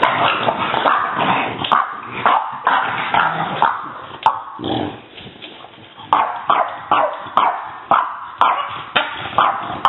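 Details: Lydia, a female French Bulldog puppy, shows her teeth in a mock-vicious display. Rough, noisy growling bursts come in short pulses, at first dense, then breaking into regular yappy bursts about twice a second toward the end.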